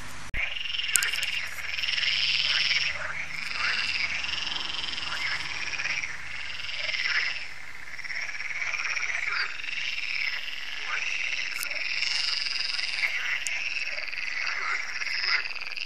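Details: Many frogs croaking together at a lake in France in the evening, an annual chorus; continuous high, grating rattles layered thickly, with a low steady hum underneath during the opening seconds.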